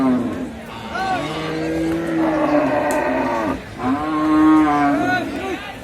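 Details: Large Holstein Friesian and Sahiwal bulls at a busy cattle market, two long, drawn-out harmonic moos with a slight rise and fall, a short gap between them, and people talking nearby.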